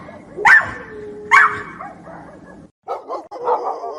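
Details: Dogs fighting: two sharp, loud barks about a second apart, followed by quieter muffled growling and grumbling sounds.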